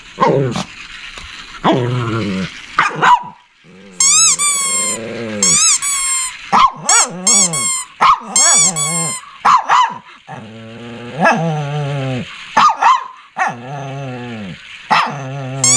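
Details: Shih Tzu barking and growling: rapid sharp barks and rumbling growls, mixed with piercing high squeals and yips in bursts, with barks repeated steadily to the end.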